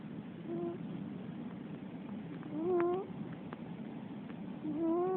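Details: Female Russian Blue cat asleep and snoring. Upward-sliding whistled tones with clear overtones come every two seconds or so, three breaths heard, over a constant soft hiss with a few faint clicks.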